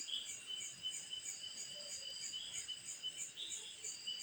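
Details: A cicada at night gives a steady, high-pitched shrill buzz that pulses faintly without pause.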